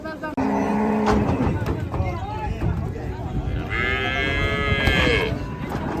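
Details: Cattle on a farm: a low, droning moo opens, followed later by a higher, strained bellow held for about a second and a half, over constant crowd and mechanical noise.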